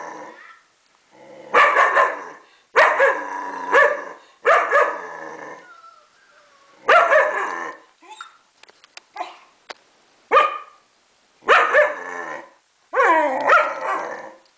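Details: Young German Shepherd, aged four months, responding to recorded German Shepherd puppy sounds with repeated deep, rasping barks, about eight bursts across the stretch, with short sharp clicks and faint whimpering between them.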